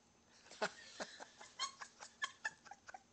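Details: Two pet cats, a white younger male and his elder sister, fighting on a bed right after spooning: a quick string of sharp, short bursts, spitting hisses and brief squeaky cries, uneven in spacing, indoors.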